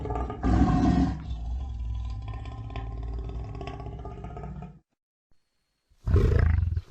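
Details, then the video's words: Lion giving a long, rough, low rumbling growl for nearly five seconds, then a short silence before another loud, deep burst starts. "Gerçek Aslan Sesleri Yüksek Kalite | Lion Sounds in High Quality"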